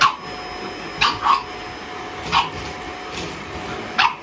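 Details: Pug puppy warning off a vacuum cleaner with a few sharp high yips, single and paired, about a second apart, over a steady whirring hum.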